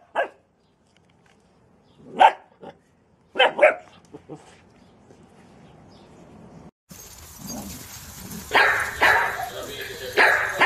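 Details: Scattered dog barks, single and in a short pair, come first, then the sound turns to loud broadband noise with voices talking and further barking mixed in.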